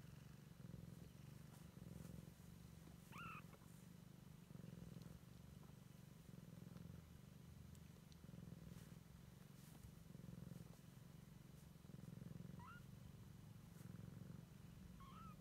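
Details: Continuous low purring from a Siamese kitten discovering its surroundings, rhythmic swells roughly every second, broken by a few brief, thin, high squeaks and faint clicks.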